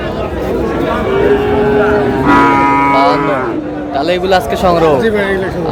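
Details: Friesian and cross-breed bull calves at the Raniganj cattle market in Dinajpur on 30 July: a steady, drawn-out low moo lasting over a second, then a shorter wavering one, beneath constant crowd chatter and bargaining voices.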